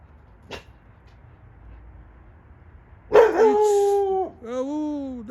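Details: A domestic dog, watching a cat that has climbed a tree, gives two long, drawn-out barks, the first falling in pitch and the second lower.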